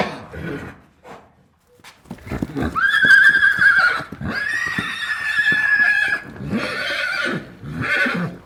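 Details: Single horse neighing, a loud high whinny with shaky wavering harmonics lasting a few seconds, followed by lower snorting, breathy bursts and further shorter whinnies.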